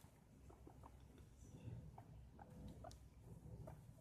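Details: Very excited guinea pig at feeding time giving short, soft squeaky notes in an uneven rhythm, several per second, over a low rumbling background with faint rustling.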